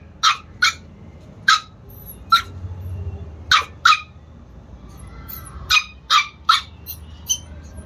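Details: Chihuahua puppies in Lucknow giving sharp, high yapping barks, mostly in pairs or short runs of two to three, with short pauses between bursts and a quiet room behind.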